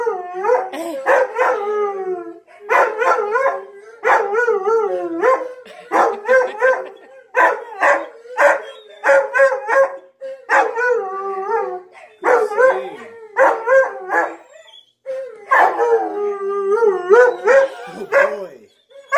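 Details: Onyx the Siberian husky, howling for the first time in about 11 months while watching Tonka the Malamute and Monroe the Husky, produces a steady stream of bending, vowel-like howl syllables in rapid clusters across the whole stretch.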